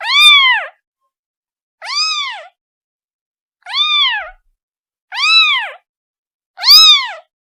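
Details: Kitten calling its mother: five loud, clear meows, each rising then falling in an arched, rich harmonic stack, spaced about every one and a half seconds with silence between; no other sounds.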